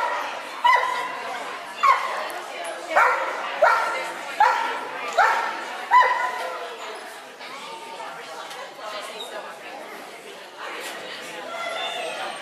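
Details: Belle the Clumber Spaniel barks about seven times in quick succession with ringing, yelping tones, then falls mostly quiet before a few softer sounds near the end.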